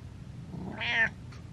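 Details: Domestic cat meowing, wanting to be let down; a single short rising-then-falling meow, harmonic and fairly loud, over a low room hum, with a faint second sound just after.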